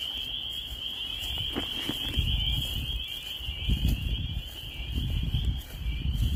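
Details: Spring frogs in Maine, a spring peeper chorus heard as an unbroken high shrill trill of many overlapping peeps, with gusty low wind noise and soft rustling beneath.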